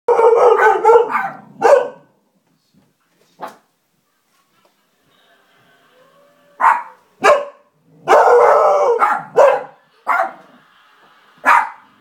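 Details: Two pet dogs, Misha and Milo, barking at nothing: a burst of loud, drawn-out, howl-like barks, then a long quiet gap, then scattered single barks and short clusters toward the end.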